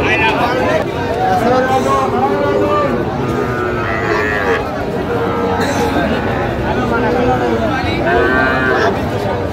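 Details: Young Sahiwal bull calves at a cattle market, bought by a farmer from Narayanganj, Bangladesh, in August; several short harmonic moos rise and fall amid loud crowd chatter and men talking throughout.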